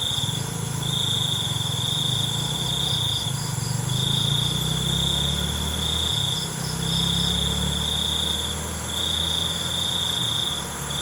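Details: Night crickets trilling in bright, high, even bursts of about a second or two, each cut by a short pause, above a noticeable low, engine-like rumble.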